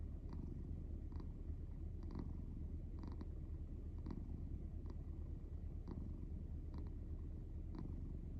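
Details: Sleeping cat snoring soundly: constant low rumbling purr-like rasp, punctuated by brief faint clicks roughly once a second.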